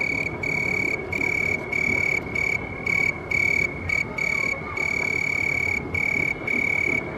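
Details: Chirping of a house cricket, a shrill ringing trill delivered in pulsed bursts of about half a second, separated by short silent gaps and repeated evenly throughout, with soft low-pitched background noise.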